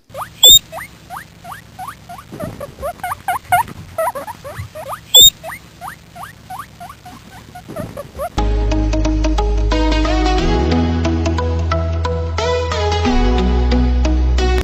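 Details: Guinea pig calling in a series of short rising squeaky whistles, repeated several times a second for about eight seconds, followed by loud music that covers the rest.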